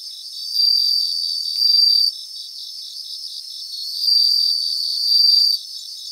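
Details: In a Japanese grassland, bell crickets give two loud clusters of high, shimmering, bell-like trills, each lasting about one and a half seconds, above a steady rhythmic background of chirping insects.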